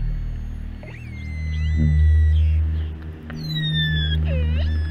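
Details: Short-finned pilot whale whistles recorded at sea around the Canary Islands, among hundreds of pilot whales: thin gliding tones that rise and fall over a deep musical drone.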